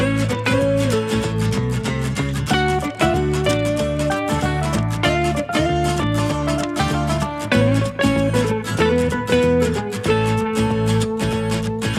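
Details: Steady strummed and plucked acoustic guitar music fills the whole stretch at a constant loud level, with no animal voice audible.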